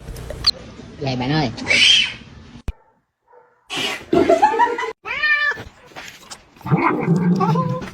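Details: Pet cat in a funny compilation giving several short wavering meows, some rising then dipping, broken by a brief silence, with human voices talking over and between the calls.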